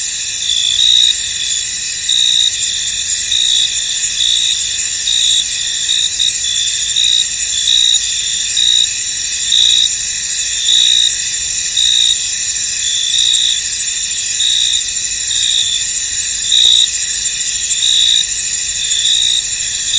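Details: Foggy field at night-like calm with many crickets: a constant shrill ringing wall of sound, overlaid by short bright chirps recurring roughly once a second, nothing else audible.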